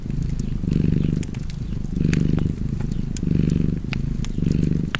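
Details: Cozy cat purr, deep and continuous, pulsing in louder and softer phases roughly every 1.2 seconds as the cat breathes in and out, a few faint fire crackles and clicks in the background.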